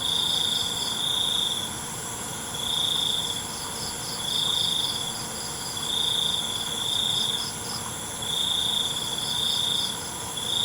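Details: Night crickets: a steady cycle of bright, high trill bursts about every 1.7 seconds, six in all, while fainter beaded chirps pulse above them over a continuous hissing background.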